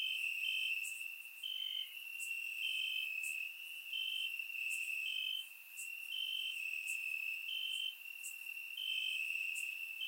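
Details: Crickets chirping through a warm summer night in Bulgarian grassland, recorded with a surround microphone; steady piercing trill, regular higher chirps about every second, crisp clicks above, no other sounds.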